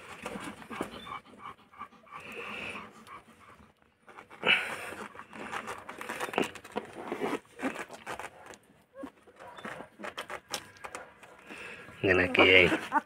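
A German Shepherd puppy pants rapidly in breathy bursts, with a few soft whimpers and a person talking.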